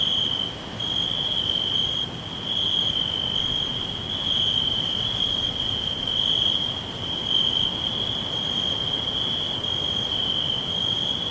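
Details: A chorus of forest crickets gives a constant high, ringing trill with gentle surges in loudness, plus a faint regular pulsing buzz higher up and steady low background noise.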